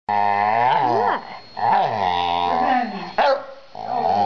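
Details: Pet dog vocalizing its feelings about a new busy bee toy: drawn-out, moaning growl-like sounds with rich harmonics that waver and bend, in three bursts separated by short pauses, indoors with no other clear sounds.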